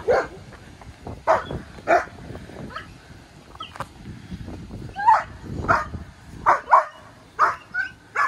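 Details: Barking from Maya, a German Shepherd female of just over a year, during off-leash K9 obedience training in Detroit: short sharp barks in quick clusters, some paired, with a person talking underneath.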